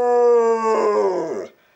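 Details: Benny, a pet dog indoors in a quiet house, coaxed into howling as he does when the phone rings: a loud, steady tonal howl with rich harmonics, holding level then sliding downward and breaking off after about a second and a half.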